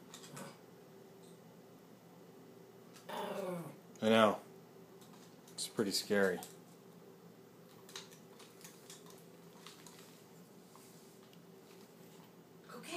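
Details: Chihuahua that hates the broom, barking at it: two loud, sharp, harmonic barks a couple of seconds apart, with a person talking to the dog before them and faint tapping noises in the background.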